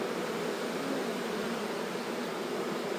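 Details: Swarm of honey bees settling in under a fresh cover as it is moved, a dense continuous hum filling the air without pause.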